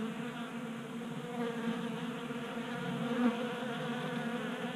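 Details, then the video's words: Honey bees crowding a 3D-printed table-top feeder in a Colorado garage in mid-winter warmth; a constant droning hum of many wings in overlapping tones, with one sharper, louder buzz near the end as a bee flies close. "Honey Bees Feasting from 3D Printed Bee Feeder"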